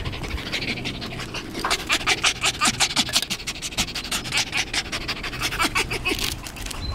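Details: Very excited tame fox greeting its keeper, panting quickly and unevenly in harsh breathy bursts almost three per second, with faint squeaky whines slipped between breaths.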